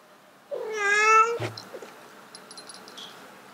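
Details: Domestic cat calling while trying to mate, one loud drawn-out harmonic meow lasting nearly a second, steady then slightly rising, followed by a soft thump and faint high clicks.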